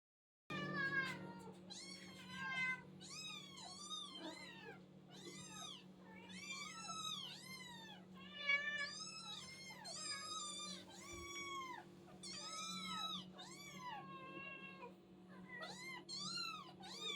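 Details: Several little hungry kittens mewing nonstop: high, thin, arched mews, rising then falling, overlapping one another in quick bursts over a steady low hum.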